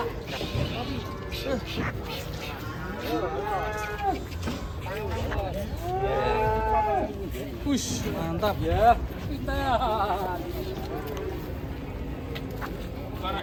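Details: Cattle mooing repeatedly in long, drawn-out, wavering lowing calls with rising and falling tones, several moos overlapping, with people talking and faint music in the background.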